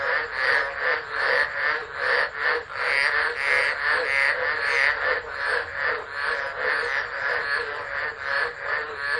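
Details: During a Tropical Low at Driver, Northern Territory, Australia, 13 December 2013, a crowd of frogs sings into an unattended phone; overlapping pulsed croaks form a continuous, buzzing, wavering chorus with faint high hiss above.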